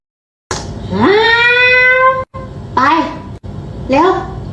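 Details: A cat gives three meows: a long one that rises and then holds steady for over a second, followed by two shorter rising-and-falling cries. Brief silent gaps separate the calls.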